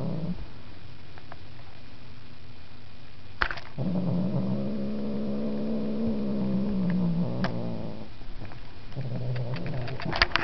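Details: Markus, a pet house cat, responding to Webkinz: low rumbling purring that stops and restarts after a sharp click, then continues steadily, with scattered clicks and handling noise.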